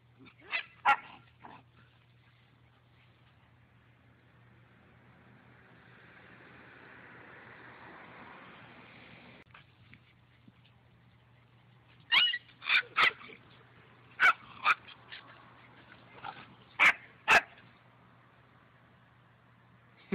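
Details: Dog swimming and playing in water: a couple of sharp barks at the start, a long stretch of soft splashing hiss, then a quick run of loud, clipped barks near the end.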